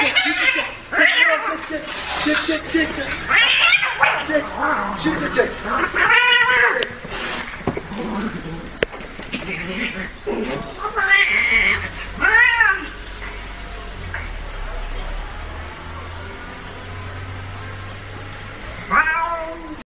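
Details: Cats fighting: wavering, rising caterwauls and harsh yowls repeat throughout, mixed with human voices talking and a low hum.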